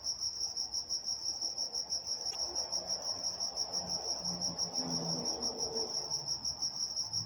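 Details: High, rhythmic cricket chirps fill a night in Walnut, California, pulsing about three times per second, while soft low rumbling, perhaps distant traffic, rises midway.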